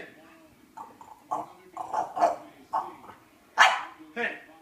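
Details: Jealous one-year-old female French Bulldog barking at a French bulldog cookie jar; uneven short barks and yips, a louder sharp bark near the end, mixed with a person talking.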